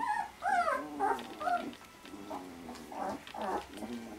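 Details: Eighteen-day-old Vizsla pups interacting with mum and littermates: high, wavering whines that bend up and down, followed by softer low grunting murmurs and a few more whimpers toward the end.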